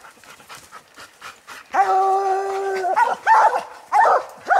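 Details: Treed raccoon bayed by coon dogs Lucky, Mossie and year-old Star: faint distant barks, then a loud, steady bawl held over a second with clear harmonics, followed by several sharp barks.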